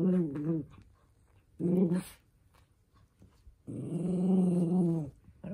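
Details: Young male toy poodle growling indoors in anger at having socks put on; two short throaty growls, then a long, deep, steady growl of about a second and a half.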